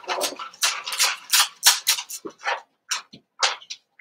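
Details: Seven-week-old Cavalier King Charles Spaniel puppies from Daisy's litter in an indoor home puppy pen, giving a dense run of short, bright yelping and whimpering bursts, several overlapping, with quick gaps between them.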